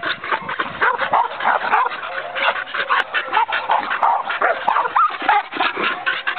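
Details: Herding-breed Australian Cattle Dog letting loose a volley of loud, sharp barks, uneven in spacing and coming about three a second, with a few higher yelping notes mixed in near the end.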